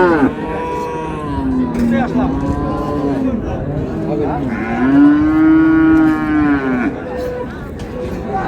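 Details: Improved-breed dairy cows and calves at Raniganj market, Dinajpur, on 2/8/26: two long, drawn-out, low moos, the second rising and then holding steady for about two seconds, over a steady murmur of market noise.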